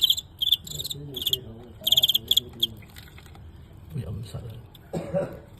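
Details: Fighting crickets during a live-filmed bout against a star cricket from Guangxi that was narrowly won: short bright metallic chirp pulses in quick bursts over the first two and a half seconds, then a man speaking Cantonese.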